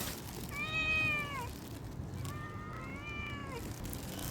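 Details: A mother cat with her three kittens. Two clear, high meows sound about two seconds apart, each gently falling at the end, over a soft, hissy background.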